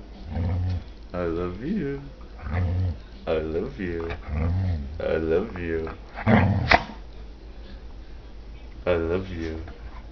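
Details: Half Labrador, half pit bull dog 'talking': a run of short warbling, moaning vocal bursts that bend up and down in pitch, about a dozen speech-like phrases over ten seconds, with murmured human talk close by.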